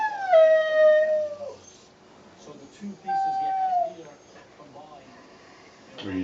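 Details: A 13-year-old female Siberian husky gives drawn-out, tuneful howls that slide gently downward, "talking" and "singing" back as her owner repeatedly urges her to "tell Mommy."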